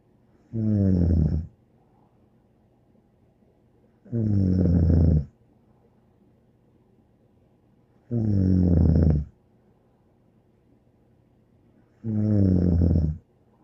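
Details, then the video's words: Bear the dog snoring steadily indoors: four deep, rumbling, buzzy snores, each about a second long, repeating evenly every four seconds with quiet gaps between. "More angel Bear Snoring"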